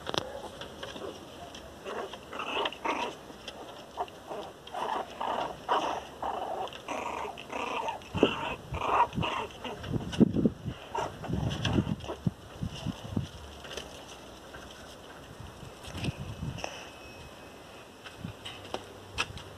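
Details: Angry Miniature Pinscher named Teco crying loudly: continuous low growls broken by whimpering yips, denser and louder in the middle, then fading to scattered short cries near the end.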